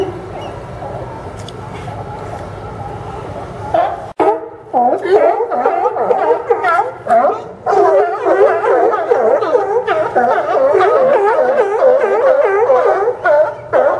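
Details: Crowd of sea lions at the Port of Newport docks on Yaquina Bay, Oregon, September 2015; after a quieter start, loud harsh barks erupt and repeat rapidly, many animals overlapping in a continuous raucous chorus.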